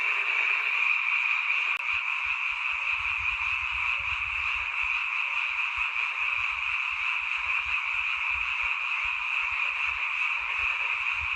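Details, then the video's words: Night frog chorus from a mountain village, heard only in this season; countless overlapping high trills form a continuous ringing wall of sound, with soft low thumps and rustles beneath. "잠이 오지않은 밤 개구리 소리와 잠을 청해보세요"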